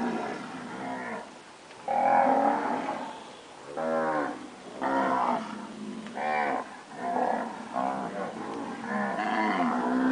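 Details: Recently calved Nelore cows of pedigree standard, mooing in separate drawn-out bellows, each one to two seconds long with rich harmonics, repeated about every one and a half seconds with brief quiet gaps between.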